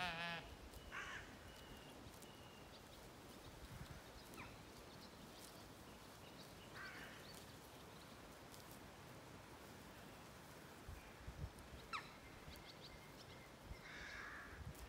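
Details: Zwartbles sheep, lambs and hoggets on a regenerative farm in County Kilkenny, Ireland, on an evening with swallows feeding over the field: a harmonic bleat opens, then fainter scattered calls and thin bird twitters over steady wind-like noise.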